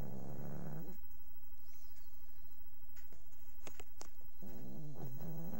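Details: A dog sleeping and snoring. A low, rattling snore opens the recording, a quiet gap with faint clicks follows, and a second buzzy snore rises near the end.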